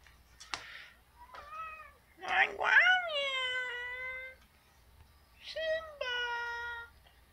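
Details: Male house cat at night, begging over and over to be let out onto the deck: long, wavering, pleading meows, one drawn out for two seconds, alternating with a woman talking softly back to him.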